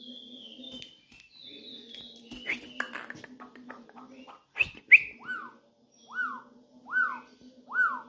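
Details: Campo troupial singing while perched on a person's finger: after scattered chirps and clicks, a run of four rounded, arched whistled notes spaced under a second apart, over a low background hum.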